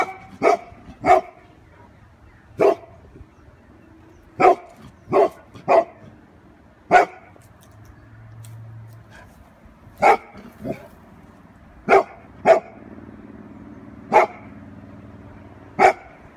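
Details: A Golden Retriever protecting its family from a balloon gives loud, sharp barks, some single and some in quick pairs, at uneven intervals.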